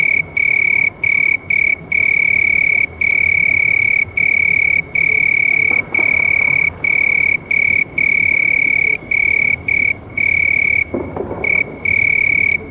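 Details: House cricket chirping: a loud, steady, high-pitched trill with overtones, running in long bursts broken by brief pauses about every second, with faint rustling noise near the middle and end.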